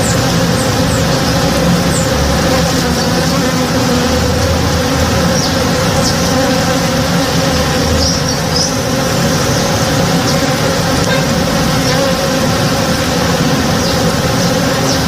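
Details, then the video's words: Many honey bees working a flowering backyard tree in the morning give an even, layered hum throughout, with scattered short bird notes high above. "Relaxing Sounds - Honey Bees (Real Sound)"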